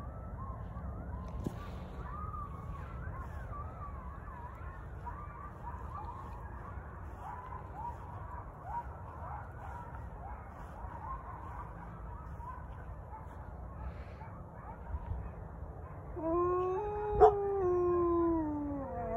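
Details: Wolfdogs and a husky howl in reply to coyotes, which fall silent afterwards. Faint wavering high calls drift through the first half over constant low rumbling noise, then a loud, steady, low howl with rich overtones rises near the end.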